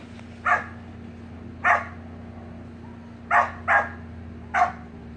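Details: Samoyed puppy with siblings playing in the pool, five short yappy barks at uneven intervals over a low continuous hum.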